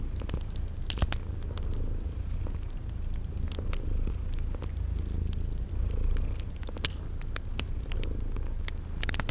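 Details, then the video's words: Deep continuous purring from sleeping cats, its rumble swelling gently with each breath, layered with crackling fire pops and a repeated high cricket chirp every second or so. "Relax with Cute Sleeping Purring Kitties by a Crackling Fireplace"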